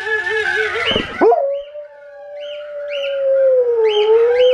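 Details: Female Alaskan Malamute howling in reply to relatives heard through modern technology; a brief wavering howl breaks into a long, smooth, steady howl that dips slightly and rises again, with faint higher answering tones.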